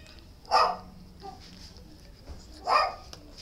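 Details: Shelter dog giving two short, harsh barks about two seconds apart, each a single broadband burst, with quiet background hiss between them.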